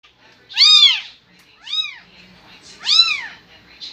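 A newborn kitten calls with shrill, arched meows, each rising then dropping in pitch over about half a second. Three cries come in quick succession with short pauses between them, over a quiet background.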